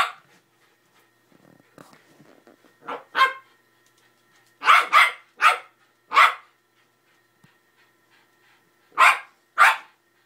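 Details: Playful barking as a Patterdale terrier puppy roughhouses with a 90 lb pit bull indoors: short, sharp, mid-pitched barks in scattered single and paired bursts, with a longer gap before a final double bark.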